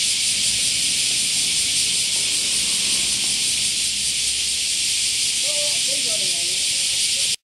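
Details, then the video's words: In summer, many cicadas buzz together in a steady, high, hissing drone that never lets up. "Cicada Chorus"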